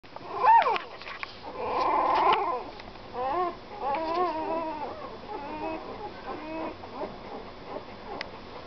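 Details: Puppy giving a mix of short whimpers and a longer nasal whine, with wavering, bending tones that rise and fall irregularly. A louder squeak comes near the start, and quieter harmonic whines follow over a faint background hiss.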